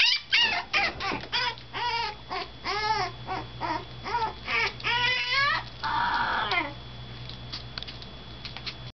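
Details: Toy Poodle puppy crying hard on its fifth day in a new home as the older resident dog looks on; a series of shrill, arching whimpers swells into a long, drawn-out wail, then fades to near silence.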